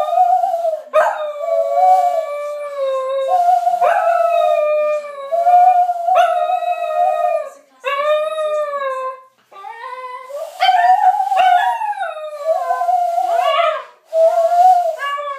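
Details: Milly the dog howls in song with a person indoors: a long sequence of sustained, gently wavering howls with rising yips at each start, about six phrases with short breaths between, ending in higher, choppier notes.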